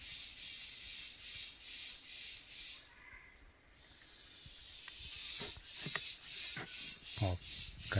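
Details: A cicada sings in harsh, high buzzing pulses that swell and fade about once a second, heard on a farm afternoon near Novo Progresso, Pará, Brazil, on 3 February 2024.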